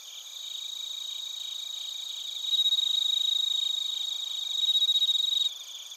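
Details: Crickets, bell crickets among them, recorded in Narita, Chiba Prefecture, Japan, on a TASCAM Portacapture X8: a dense, high, continuous shimmering chorus, with one louder, rapidly pulsed trill rising above it midway and then cutting off near the end.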